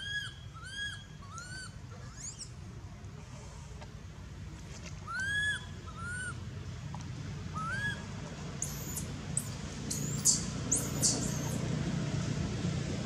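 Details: Anissa, a baby monkey at Angkor Wat temple, cries after Aron hit and dragged her across the ground. A run of short arched whimpers, each rising then dropping, comes about every second, followed by louder shrill screeching near the end.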